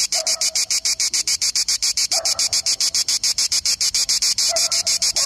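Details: A Cicada orni (grey cicada) sings a rapid train of harsh, high, rasping pulses, several each second.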